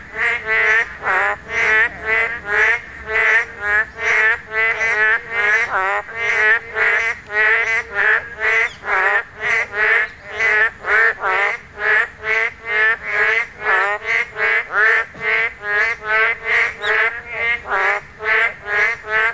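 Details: Korean narrow-mouthed toads (boreal digging frogs) give loud, nasal bleating calls in a dense, overlapping chorus during spawning season, the only time they call.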